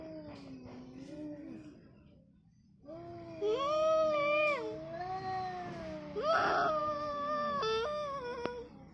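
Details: Orange cat versus white cat fighting, loud sustained caterwauling howls that rise and fall in long wavering tones, overlapping between the two cats, with a sharp hiss-like burst near the end.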